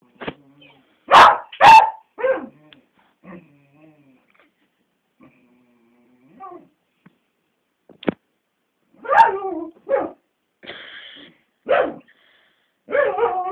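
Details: Bella the beagle carries on barking at Cassie, an old, grumpy black labrador, recorded on a phone camera. Two loud barks open the clip, then scattered yelps and barks follow between pauses, with people talking.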